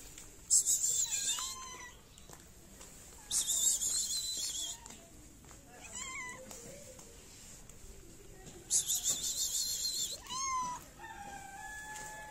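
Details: Several hungry stray cats in a Moroccan city meowing for food and attention: repeated short, high, bending meows, some rising then falling, coming in clusters through the clip over steady background hiss.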